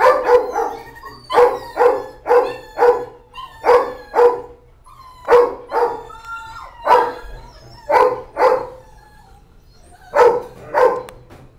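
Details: Several barking puppies at an animal shelter: sharp barks come in quick pairs and bursts, about a dozen over eleven seconds, with short pauses between groups and faint whines in between.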